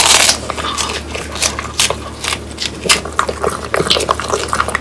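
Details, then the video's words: Indoor French Bulldog eating crisp dried quail: a loud opening crunch, then scattered sharp bone-cracking bites and wet chewing. "강아지 먹방 ASMR 통메추리를 건조시켜 바삭하게 먹어봤어요"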